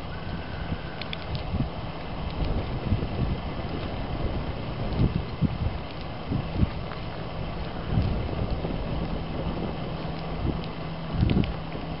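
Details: Wind buffeting the microphone and a low traffic rumble dominate, with scattered soft thuds and no animal call heard.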